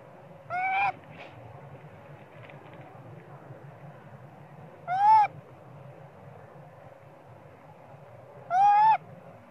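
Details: Small spoiled young monkey crying for its mother Popeye to nurse him, perhaps hungry for milk: three clear tonal cries, each about a third of a second, rising then sliding down, with rich harmonics, spaced roughly four seconds apart over a low steady hum.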